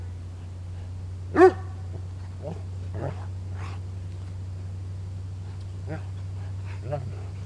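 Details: Dog at play, wrestling with its owner, gives one loud sharp bark followed by several fainter yips and grunts spread over the next seconds, with a person's voice and a constant low background hum.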